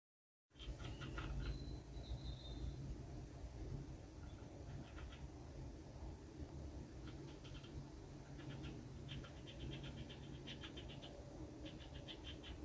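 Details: Red squirrel eating a walnut on a balcony, gnawing in short bursts of dry rapid clicks, clustered near the start and through the second half, over a steady low hum.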